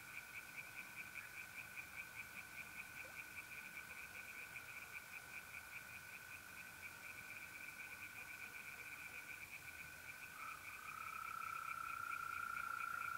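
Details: A distant chorus of tree frogs pulses quickly from a pond at night in mid-April, north-eastern Italy, over a constant mole cricket trill that swells louder near the end.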